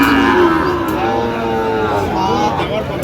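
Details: Sahiwal bull calves at a Bangladeshi cattle market on 31 January 2026, bought by a Narsingdi farmer; a long, steady harmonic moo with gently wavering pitch runs through the whole stretch, over background market chatter.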